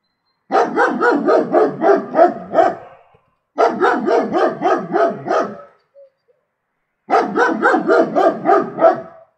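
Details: Three bursts of fast, gravelly barks from a German Shepherd, each burst about two seconds long with seven or eight barks, separated by clean pauses.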